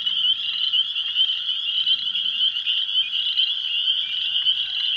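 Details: Spring peepers calling en masse at close range, almost deafening, at the old pond on the evening of April 15, 2023. Countless piercing peeps blend into one steady, high-pitched ringing with no pauses.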